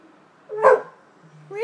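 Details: American Staffordshire Terrier letting out a single sharp, yelping bark, then beginning a rising whine right after.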